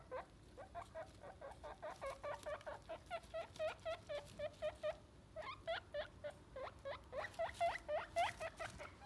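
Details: Pet guinea pigs give a long, steady train of high, whistle-like squeals repeated several times a second in pulsing bursts, with a brief pause near the middle and some louder squeaks toward the end.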